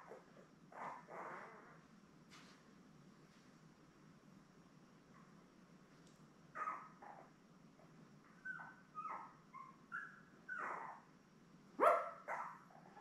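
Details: Seven newborn Labrador Retriever puppies, born May 24, 2021, beside their mother Belle on June 3. After a quiet stretch, short tonal squeals and whines come in scattered bursts, some bending up then down, and the loudest sharp squeak comes near the end.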